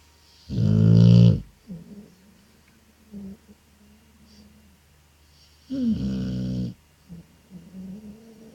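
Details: Pet dog asleep and snoring: two loud, deep, rasping snores about five seconds apart, each lasting around a second, with soft wheezy breaths between them in a quiet room.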